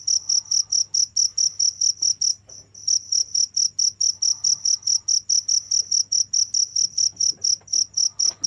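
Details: Rapid, piercing cricket chirps pulse steadily about four times each second, with a brief break near the middle before the rhythm resumes; a soft low hum lies underneath.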